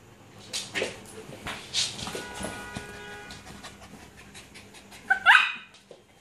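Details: Luna, a six-month-old Alaskan Malamute puppy, plays and gives short, scattered bark-like bursts that rise and fall in loudness, ending in one sharper, louder yelp just before the clip closes.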